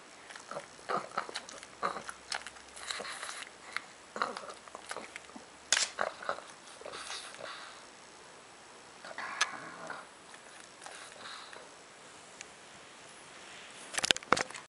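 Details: Indoors, Bram the pug eats with scattered crisp chewing clicks and smacks, a few stronger snuffling bursts, a long quieter stretch of faint munching, then a sharp cluster of loud clicks near the end.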